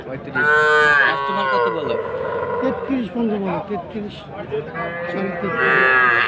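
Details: Sahiwal calves at a cattle market in Ambari, Dinajpur, on Monday 20 February: loud, drawn-out harmonic moos, one near the start and another at the end, with a rising and falling pitch, over background market chatter.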